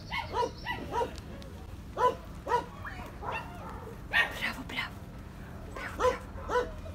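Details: A dog giving a run of short, sharp barks, about a dozen spread unevenly over seven seconds, some doubled, with low background rumble.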